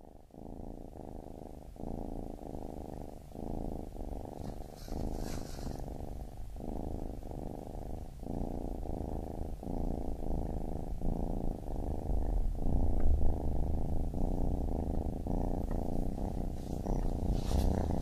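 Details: Baby kitten purring steadily in low rumbling pulses, each breath cycle lasting roughly one second, alternating in and out without pause; no other sounds.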